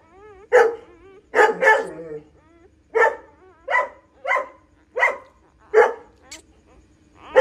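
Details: A female pointer dog giving birth to nine puppies at home; a series of short, strained whining yelps with wavering harmonics, about one every second, separated by quiet gaps.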